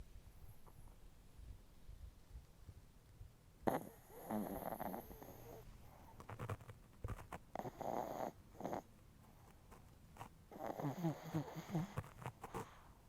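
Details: Chihuahua in deep sleep, nose twitching, snoring heavily: after a quiet start, three rough, rasping snore bursts come with a breathy hiss, each about a second or more long, separated by brief quiet pauses.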